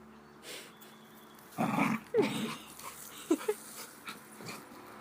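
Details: Playful pet dog making funny noises indoors: loud, rough grumbling bursts with short whiny, wavering squeaks, followed by softer scattered snuffles and whimpers against a low room hum.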